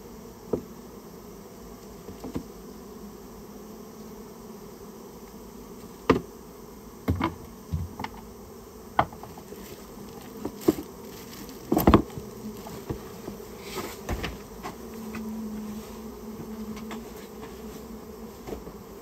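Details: A Japanese honey bee colony inside a storehouse, disturbed as it is removed; a low steady drone, with bangs and knocks clustered midway and a brief louder humming tone near the end.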